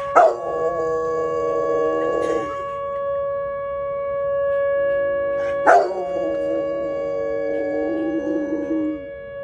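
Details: Dog named Tank protesting the monthly tornado siren test, as he does every first Tuesday: a loud bark sliding into a drawn-out wavering howl, a pause, then another bark and howl, all over the constant tonal drone of the siren.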